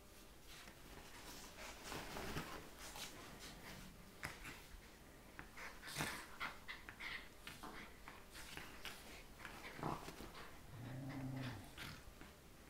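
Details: Two Scottish Terriers, Mia at 12 weeks old and Katie at 2 years old, wrestling on a bed in the morning: a steady mix of snorts, breathy panting and scuffling, with brief whimper-like tones and a low growl near the end.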